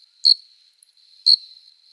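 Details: Adult male cricket stridulating in summer courtship to draw a female: two crisp high-pitched chirps exactly a second apart, a thin continuous trill humming underneath, another chirp starting at the very end.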